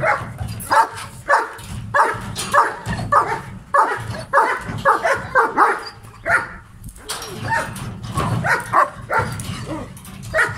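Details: Aggressive male German Shepherd giving loud, harsh barks in uneven bursts with short gaps, some barks doubled, a brief lull in the middle before barking resumes, faint human voice in the background.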